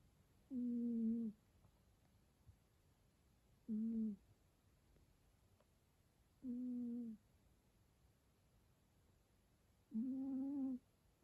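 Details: A pet cat snoring: four low, droning, hum-like snores, each lasting under a second, come roughly every three seconds against a quiet indoor background.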